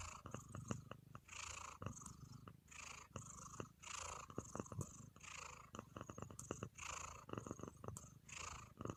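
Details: Relaxed domestic cat purring, its low steady rumble broken by breathy swells in a regular rhythm, with many sharp clicks and taps scattered throughout.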